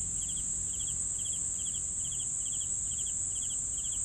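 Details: Cricket chirps come in quick triple-pulsed bursts, a little more than two per second, above a constant shrill background trill from other insects.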